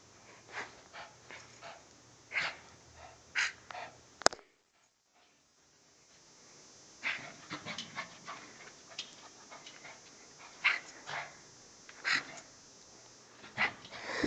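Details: Shih Tzu indoors during zoomies, racing up and down an apartment building hallway and trying to get her owner to chase her; quick breathy panting puffs about once a second, briefly silent midway, recorded at low quality.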